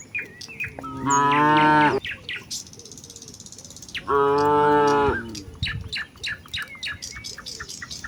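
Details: Village cows walking toward the fields on a peaceful morning, calling out to one another: two strong moos about three seconds apart, each about a second long, with steady bird chirping throughout.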